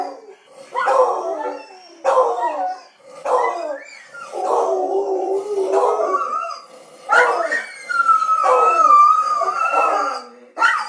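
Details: Dogs howling as the owner leaves, short sliding howls repeated about once a second, then longer steady tonal howls, with a few yips mixed in.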